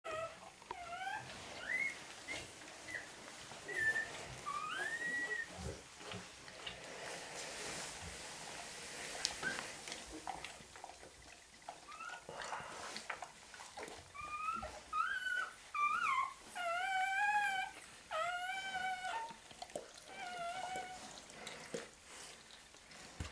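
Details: Rottweiler puppies at a breeding kennel in Sicily, Italy, kept indoors with their mother and littermates; thin high whines and squeaks, short rising and wavering notes in scattered bursts over low room noise.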